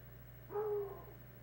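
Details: Hound dogs playing king of the wood pile; a single drawn-out, tonal bay of about half a second, steady in pitch with faint overtones, over a quiet steady hum.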